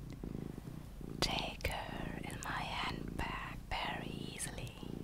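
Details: Luna, a small pet cat, purring indoors: a steady low pulsed rumble in rhythmic bursts, with soft whispering and gentle rustling layered over it throughout.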